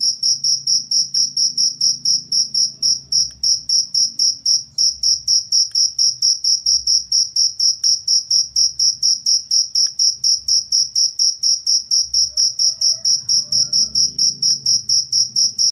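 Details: A cricket chirps rhythmically, recorded as master sound for birds and for repelling rats. Sharp high-pitched pulses follow at a steady rate of roughly two per second throughout, with a few faint clicks and low background hum.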